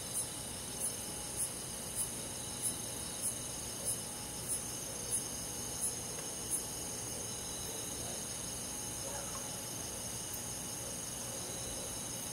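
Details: Crickets on a summer night in a rural forest: sharp high chirps repeat roughly every half second over the first seven seconds, above a steady shimmering chorus of other insects.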